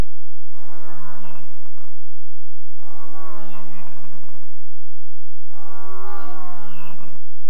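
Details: A red deer stag in Grădiștea Muncelului-Cioclovina Natural Park, Romania, caught by a wildlife camera during the September–October rut, gives three deep, drawn-out bellows under two seconds each, calls that announce presence and intimidate rivals.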